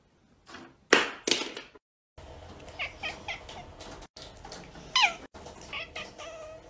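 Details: Pet cat calling inside a home: two short, sharp meows near the start, then a steady hiss of background noise with a clearer rising-and-falling meow around the five-second mark.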